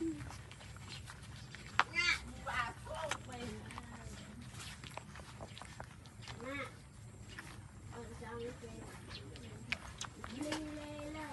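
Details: Newborn puppies suckling their mother's milk give high, wavering, squeaky whimpers in short bursts of several cries, some rising then falling, with a person's voice talking nearby and soft rustling in the background.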